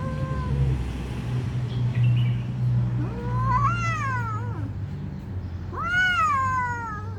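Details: Fighting cat yowls loudly: drawn-out rising-and-falling harmonic wails, two strong arched cries a couple of seconds apart, over a constant low droning hum.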